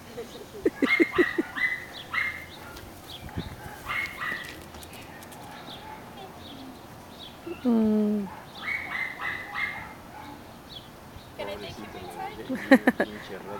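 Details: Retired best-in-show Sealyham terrier Ben Low, after half an hour of chasing the kennel cat in the kennel; clusters of quick yapping barks with pauses, one drawn-out falling whine midway, people chatting throughout.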